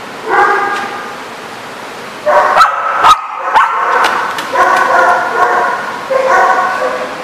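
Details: Dogs barking in repeated harmonic-rich bursts, several overlapping, with sharp clicks and knocks between them and a short pause near the middle.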